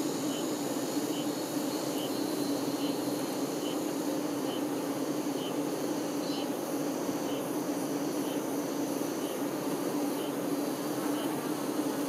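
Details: Steady low droning of honey bee workers caring for their queen, with a sharp high pip repeating roughly every second over the constant hum.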